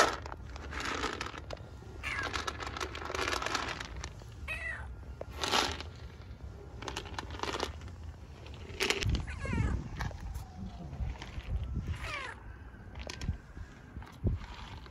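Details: Stray street cat in Istanbul seeking attention more than food, giving several short rising-and-falling meows in the second half while a woman talks softly to it in Turkish, with rustling and street noise throughout.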